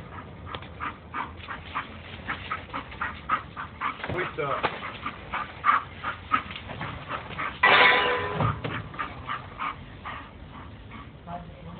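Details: Bull Terrier. Brief, punchy barks and higher yips from a Bull Terrier come in an uneven run, some in quick clusters. People talking can be heard throughout, and a louder burst of noise interrupts midway.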